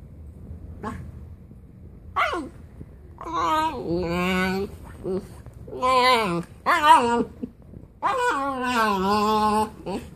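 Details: Ghost, a Siberian Husky, talking indoors: a run of about eight harmonic yowls and whines in irregular bursts, some rising then falling, the last a drawn-out wavering moan.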